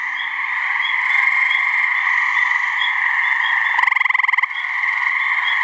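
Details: Gray treefrog from a New Hampshire swamp, giving its mating call: one quick, strongly pulsed trill of under a second rises above a dense, continuous ringing chorus of frogs or insects.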